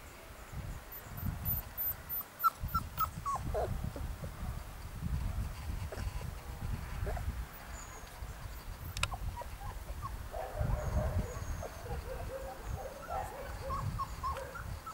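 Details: Three-week-old Golden Retriever puppies give thin, high whimpers and squeaks over a low rumbling background.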